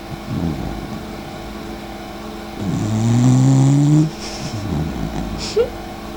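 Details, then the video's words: Dachshund Mika, sister of the dachshund Eva, asleep and snoring: a long, deep, droning snore lasting over a second that rises slightly in pitch. Softer rumbling breaths come before and after it, ending with a brief squeak. "Такса по имени Ева сняла на видео как храпит её сестра Мика"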